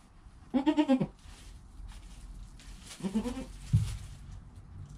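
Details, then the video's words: Newborn goat kid named Joel, under an hour old, beside his calm mother Penny: a quavering, pulsing bleat near the start, then a second shorter wavering bleat and a low thump. "4K Baby Goat - One Hour Sound and Video"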